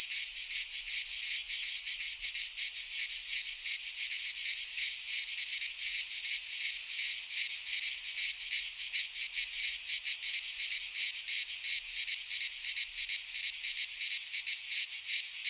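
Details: Greek pine forest in midsummer, with a cicada chorus filling the air: a steady, harsh, high-pitched rasping buzz made of fast, even pulses that never stop.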